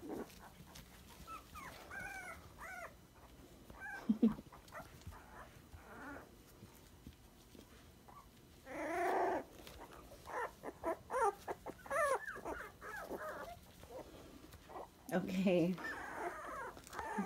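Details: Twenty-three-day-old sandstone Dachshund puppies give scattered arched squeaks and whimpers, then louder bursts of overlapping squealing in the middle and near the end, over a low rustling background.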